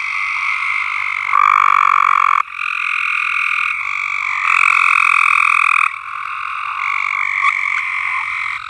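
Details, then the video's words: Many frogs trilling together on a farm: an unbroken, buzzy chorus whose loudness steps up and down in blocks of a second or two as nearer callers start and stop. "Frogs Singing"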